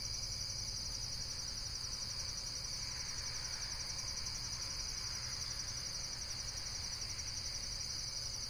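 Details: Continuous shrill insect trilling, rapidly pulsed and unbroken, over a steady low hum, with a faint diffuse swell of mid-range noise near the middle.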